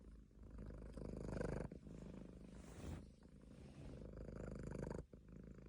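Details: Deep, continuous purring from a Munchkin cat asleep, a throbbing low rumble that rises and falls with each breath, the swells coming every couple of seconds.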